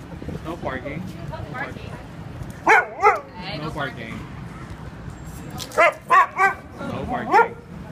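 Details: Siberian Husky on a street, reacting on seeing a pig; short high, rising and falling yelping calls, in a pair near three seconds and a quick run of four near six to seven seconds, over street noise and a person talking.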